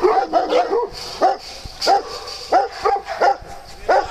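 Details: Dogs playing together on a farm, sharp mid-pitched barks and yips in uneven bursts, roughly one or two each second, some doubled, over a faint hiss.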